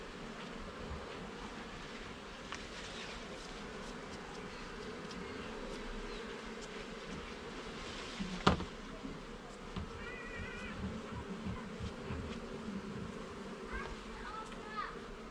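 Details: Garden beehive under inspection, honey bees producing a constant mid-pitched buzzing drone; a sharp click midway and a few faint chirping notes of another bird in the background later on.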